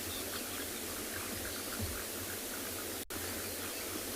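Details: Steady broadband hiss like wind or rushing noise, with a brief dropout near the end and no animal calls.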